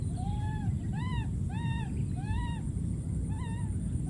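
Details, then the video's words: A wild baby monkey calling for his friend: clear, arched, whistle-like cries that rise then fall, repeated about every half second to second in a steady series over a low background rumble. "this p.o.o.r wild monkey baby keeps s.c.r.e.a.m.i.n.g and calling for his friend"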